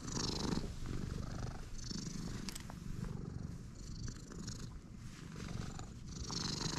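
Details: Stray cat purring soon after meeting someone: a rapid, slightly uneven low throbbing rumble that swells and fades. Occasional high shimmering chirps and soft clicks come through in the background.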